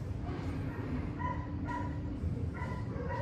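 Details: German Shepherd named Max, reunited with his owners, gives short high whines in several bursts, the first near one second, then spaced through the rest, over a steady low rumble of background noise.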